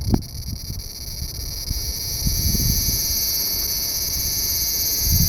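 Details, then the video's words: Large brown cicada calling from under a loquat tree branch, where it hides; an unbroken, shrill, sizzling buzz holds level for the whole stretch over soft low rustling and wind-like noise. "セミの鳴き声２～アブラゼミ～Large Brown Cicada"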